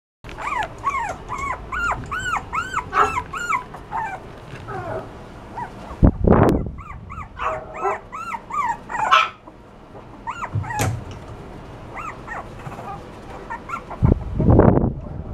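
A Toy Poodle puppy gives rapid, high, arching whines and yips in quick bursts.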